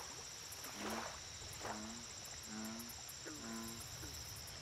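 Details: American bullfrog at a lake giving four clear, low, resonant croaks spaced about a second apart, each with a brief sliding onset, over steady high-pitched background whine and faint ticking.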